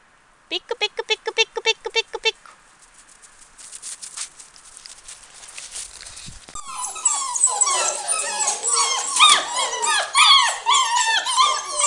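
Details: Seven-week-old Samoyed puppies, a litter of two males and three females: a short run of quick repeated yelps, then a swelling chorus of overlapping high whines and squeals rising and falling.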